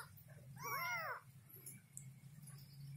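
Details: Kitten calling for its mother indoors: one short arched meow over a low steady hum, followed by faint background noise.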